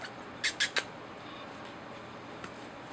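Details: Rosalie's pups, eleven-day-old puppies that have just opened their eyes, give three quick high-pitched squeaks in a row near the start, then a single faint squeak later over a steady low background hiss.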